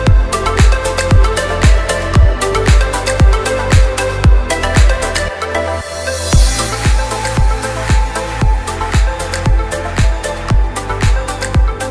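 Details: Loud electronic dance music with a steady thumping beat runs through the whole clip.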